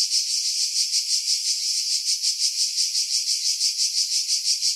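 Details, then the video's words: Shrill cicada song among coastal pines at Pefkos Bay, Skiros, Greece, summer 2018, filmed on a Sony RX3; an intense hissing buzz rising and falling in rapid regular throbs, wind removed by filtering. "Cicada Sounds, July 2018 Skiros, Greece"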